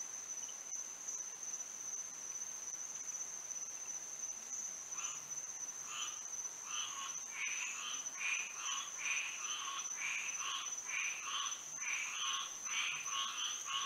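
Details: Frogs singing on a moonlit night in Florida; a chorus of short, repeated croaking notes builds in from about five seconds, pulsing steadily over a constant high insect whine.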